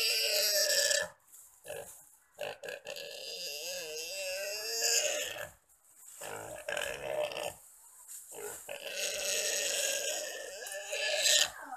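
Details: Wild boar attacked and eaten alive by three Komodo dragons on Komodo Island; wavering, harmonic squeals rise and fall amid harsh broadband noise, broken by short silent gaps, with brief voices.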